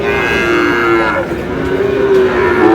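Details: Sahiwal bull calf at a Chattogram cattle market in Bangladesh, bought by a local farmer on 4 August, giving a long, steady, droning moo that wavers slightly in pitch, with faint market murmur behind.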